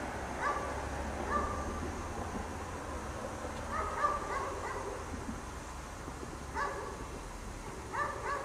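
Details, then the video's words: Dog kept chained out in the snow all day, barking in scattered single yelps and brief double barks, spaced irregularly, over a constant low rumble. "Dog Barks all day in the snow"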